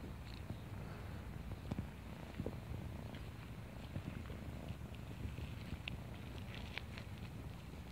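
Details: Female kitten found in the neighborhood, playing with a person; a steady, low rumbling purr runs unbroken through the whole stretch, with faint scattered ticks and clicks above it.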